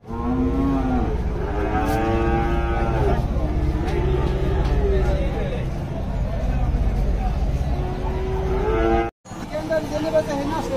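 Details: Cattle lowing at a large weekly cattle market in Dhaka, Bangladesh, 24 September 2022. Loud rising moos open the recording, followed by further moos among a busy crowd and vehicle rumble.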